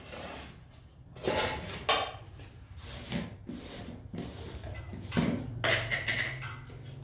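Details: Bursts of clattering and knocking, like a bowl or dishes being handled in a small room, with no animal call audible.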